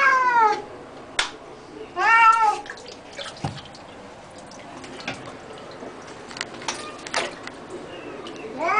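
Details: Cat protesting during bath time with several arched, harmonic meows near the start and end, separated by knocks, water splashes and faint voices.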